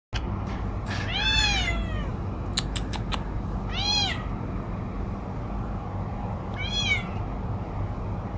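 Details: Domestic cat giving three loud, drawn-out meows, each rising then falling, spaced about three seconds apart, with a few sharp clicks between the first two and a steady low hum underneath.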